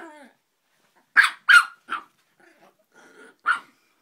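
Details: Joey, a dog that hates Mike Wazowski, giving scattered high barks: a whining note, then two loud sharp yaps close together, a softer one, and a final bark after a pause of low grumbling.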